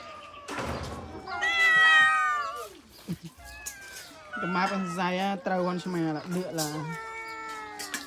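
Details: A group of abandoned cats waiting for food meow loudly, a high bending cry followed by clustered wailing meows, while a person speaks Khmer over them in the middle.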